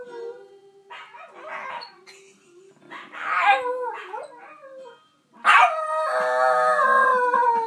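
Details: Male Shiba Inu howling along to a recording of his own singing: wavering, yodel-like howls, then after a brief silence a loud sustained howl rich in harmonics that holds steady and slowly falls.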